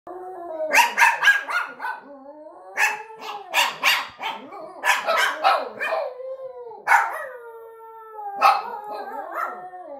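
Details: A Yorkshire terrier mix howls in wavering, rising notes broken by sharp yips and barks.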